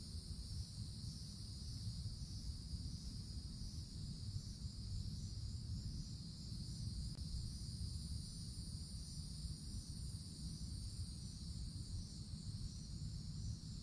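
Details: Cicadas in the summer treetops of a wooded forest: a steady, high, hissing drone holds without a break, with a fainter, even higher band above it, all over a heavy low rumble like wind or distant traffic.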